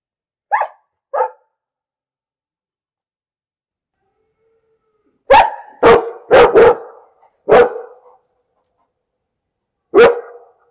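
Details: Barking dog: two lighter, higher yips open, then after a pause a burst of five loud, harsh barks in rapid succession and one final bark, with nothing else audible.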